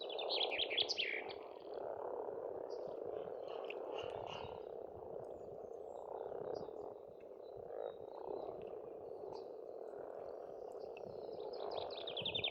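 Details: Spring frog chorus from a farm pond in Estonia: an unbroken, throbbing mass of croaks in the middle register, with trilling bird song at the start and end and sparse chirps between.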